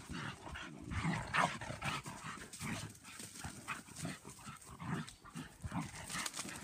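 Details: Playful German Pinscher females tussling in a yard, trading choppy rasping growls and short yelping snarls in a continuous scrappy stream.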